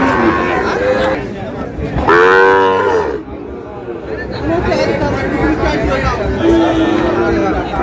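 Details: Sahiwal bull calves at a cattle market in Satkhira, Bangladesh, on 10 May; a long, tonal, harmonic moo swells midway and a softer, steady low call follows near the end, over constant male speech and market chatter.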